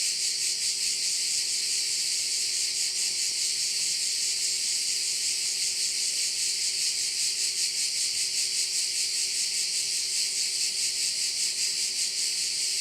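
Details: Cricket chorus over a bay on Korčula, Croatia, a constant piercing high-pitched drone with even rhythmic pulsing roughly two to three beats per second, unbroken for the whole stretch, plus a quiet low steady tone.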